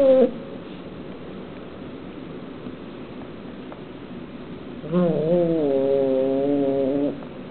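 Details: Kitten annoyed while eating meat: a brief sound at the start, then a long steady low moaning growl with a rising onset lasting about two seconds near the end, over faint indoor background.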